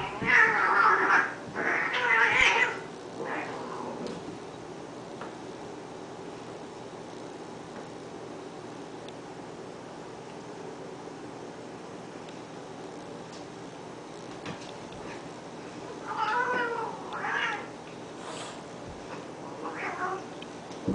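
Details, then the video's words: Honey and Lowell, two cats that fight daily, trade strained caterwauling wails in a loud opening burst, then fall quiet before a second round of rising, tremulous yowls toward the close. "cat fight"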